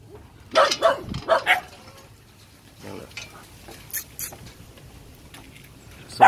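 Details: At a Saigon kennel, Phu Quoc Ridgeback puppies let out a quick run of three sharp, high barks early on, then softer scattered yaps, with people talking and handling noises in the background.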